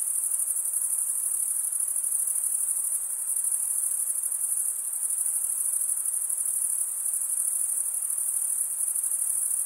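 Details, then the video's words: Steady high-pitched trilling of crickets, finely pulsed and unbroken throughout, with only a quiet hiss underneath. "Most relaxing cricket sound for 8 hours"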